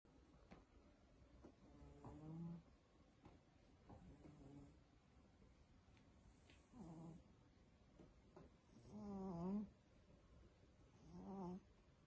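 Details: Sleeping female cat indoors snoring and making noises, a series of soft, nasal, harmonic moans at irregular intervals of two to three seconds, some rising then falling, over a quiet background hiss.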